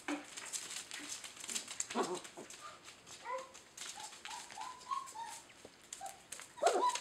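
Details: Red and black German Shepherd puppies, eight tumbling pups from a Maine litter, give a series of short, high whimpers and thin squeaks, rising and falling, scattered across the clip among soft rustling and shuffling indoors.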